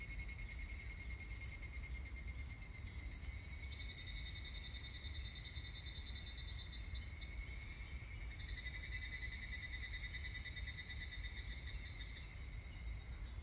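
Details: Higurashi, the evening cicada, singing on 25 July 2019: continuous high buzzing, ringing chorus with rapidly pulsed tones that waver and step in pitch over time, and a faint low rumble underneath.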